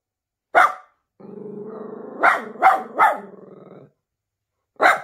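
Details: Miniature Pinscher, nervous, gives one sharp bark, then a low rumbling growl overlaid by three quick barks, followed by a pause and a final single bark.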